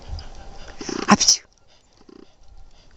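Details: Brindle Mountain Cur dog named Tiger, male, March 2010, sneezing to tell his owner what he wants; one loud, breathy double burst near the middle, then quiet with faint low rattling.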